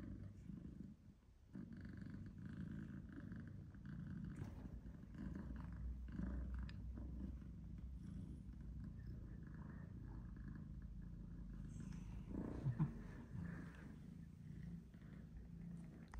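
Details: Continuous low purring, quiet and even for most of its length, with a few light thumps and brief shuffling noises near the end. Tom, an older black-and-white male shorthair, shows tough love to Charlie, a British Shorthair male kitten.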